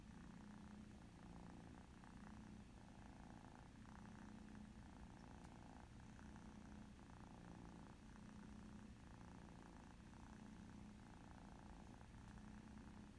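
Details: Ex-feral mother cat with her two young kitten daughters playing an iPad mouse game together; steady, low rumbling purr running unbroken across the whole stretch, with gentle rhythmic swells and a faint indoor hush.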